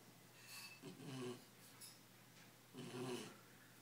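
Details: Tired Belgian Malinois puppy, ten weeks old, dozing and snoring; two soft, throaty, buzzing inhalations roughly two seconds apart, with quiet room noise between them.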